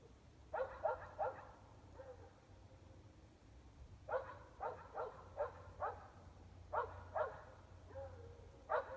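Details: Evening barking from dogs 400 feet distant, mostly indoors, in Emmett, Gem County, Idaho; clusters of three or four barks recur with brief whines between them, steady low hum throughout.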